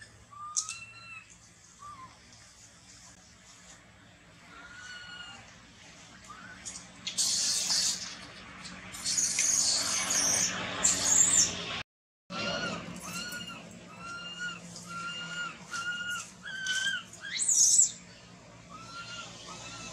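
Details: Baby monkey crying after its mother refuses it milk: a run of clear, arched, whining cries with strong overtones, repeated every second or so. A noisy splashing or rustling stretch and a short silent break interrupt the middle.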